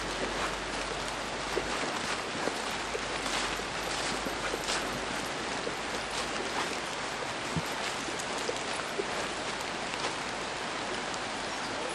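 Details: Steady broadband hiss like running water or rain fills the whole recording, with scattered faint clicks and no animal voice.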